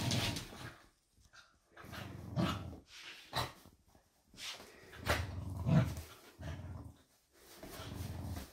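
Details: Indoors, the dogs Doby and Blue tug at a blanket to get a toy wrapped inside. Short bursts of deep growling are broken by quiet gaps, with heavy rustling and scratching between them.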